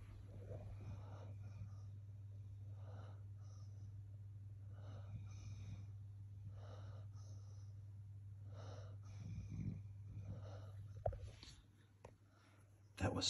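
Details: Spuds, a male basset hound, asleep and snoring: quick, wheezy snuffling breaths repeating about once a second over a steady low hum, ending in louder rustling.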